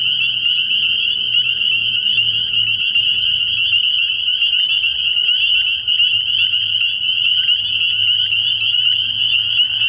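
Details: A night chorus of spring peepers at a frog pond in early spring, countless piercing high peeps overlapping into one constant shrill drone, a soft low rumble faintly present below.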